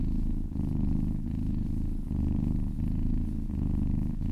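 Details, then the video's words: Kitten purring while being massaged, a steady low rumbling drone with soft breath-like pulses roughly every second, close and intimate indoors. "Purring kittens"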